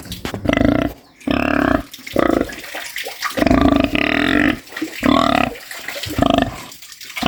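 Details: Snoring farm pig, about eight loud rasping, harmonic snorts roughly every second, each a buzzy grunt with a rising nasal overtone, separated by brief quiet breaths.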